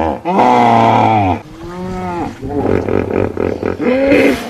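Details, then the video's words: Hippopotamus calling: a loud, rich moaning call with bending pitch, then a softer drawn note and a run of rapid pulsed honks, ending on a short rising call. "Hippo sounds"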